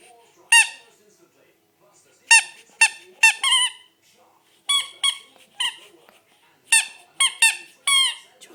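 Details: Ruby King Charles Spaniel puppy named Spencer, eight weeks old, playing indoors; bright, high harmonic squeaks in short bursts, some single and some in quick runs of two or three, with quiet pauses between.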